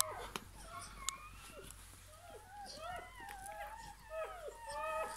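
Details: Newborn Bernese Mountain Dog puppy just after birth, indoors: thin, high squeaky whimpers in short downward-curving cries, faint and scattered, with a quiet hum beneath and soft handling noises.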